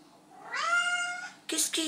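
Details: Domestic cat, female, meowing at night because she is thirsty and wants to drink from the sink, indoors in a small room: one drawn-out rising then level harmonic meow, followed by a woman speaking French.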